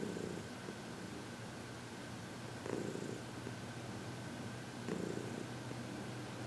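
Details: Heidi, a happy 14-year-old senior cat adopted from the Humane Society of New York City, purrs steadily during massage and reiki on February 22, 2021; low rumbling purr with louder swells near the start, around three seconds and near five seconds.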